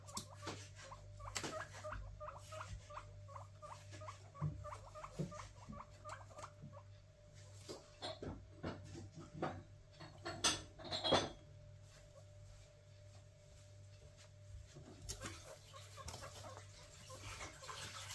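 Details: Three pet guinea pigs excited about a food delivery, giving a run of short, high repeated squeaks and chirps with patter and rustling; a steady low hum underneath and a louder burst of noise near the middle.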